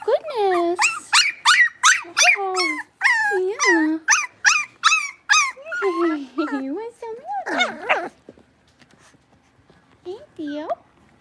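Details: Whining chorus from six-week-old Blenheim Cavalier King Charles Spaniel puppies in an indoor pen: rapid, loud, rising-and-falling squeals nearly three a second for eight seconds, then quiet with a final pair of cries.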